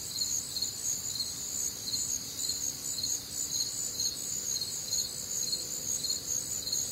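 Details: Night chorus of crickets recorded on a warm, humid summer night in the Midwest, with layered high, shrill trilling and regular chirp pulses roughly two per second and a soft, steady low hum beneath.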